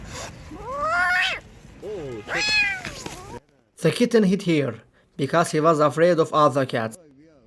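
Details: Rescued kitten, abandoned in -11°C snow for two days, gives two loud rising-falling meows, then human voices talk in short bursts with a faint mew at the end.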